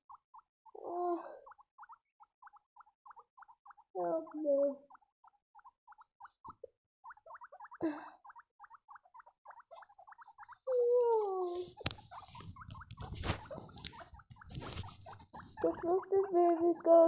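Baby guinea pigs give short, tonal squeaks over a rapid, ticking chatter, with rustling noise partway through.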